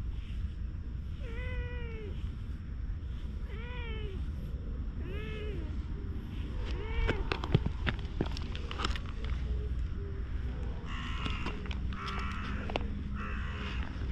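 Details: A stray cat, recorded with a GoPro, meows four times in a steady series roughly every one and a half seconds, each call arched and tonal, followed by clicks, rustles and softer broken sounds over a low hum.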